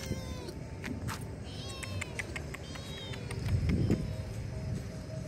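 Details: Hungry stray kittens being fed in a spacious car park in Indonesia mew in short thin arched calls during the first half, under a constant low rumble with a louder noise burst near the end.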